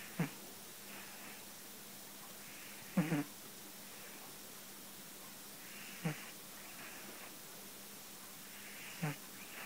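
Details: Sleeping soundly, the pet cat Tetsu-kun snores in rough, low snorts roughly every three seconds; one longer, fluttering snore near the middle, quiet hum and soft breathing between.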